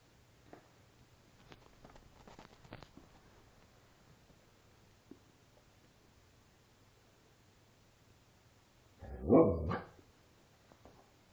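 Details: Alaskan Malamute, a five-week-old female pup playing with her father indoors; after a long quiet stretch of faint taps and shuffles, a single loud, rough bark-like outburst lasting about a second.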